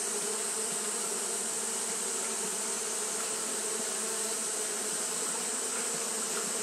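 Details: On a hot day, Japanese honey bees keep up fanning behaviour: an unbroken low buzzing drone with banded hum tones, set against a continuous high-pitched hiss.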